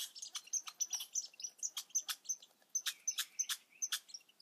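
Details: High, sharp squeaks from baby red squirrels, about three per second in uneven bursts, some rising into brief thin whistles, with light clicks between.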